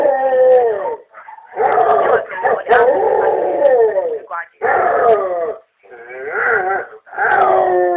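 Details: A Basset Hound howls on hearing a familiar voice on an answering machine, a run of loud, mournful howls, each about a second long, with quavering, sliding pitch, short pauses between bursts, and possibly a human voice mixed in.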